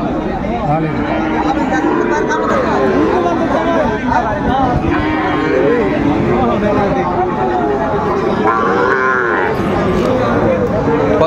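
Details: Cattle lowing at a busy Kushtia, Bangladesh cattle market on 6 May 2024, with Sahiwal and Friesian bull calves on offer: several bending, moaning moos mixed with loud haggling voices and background crowd.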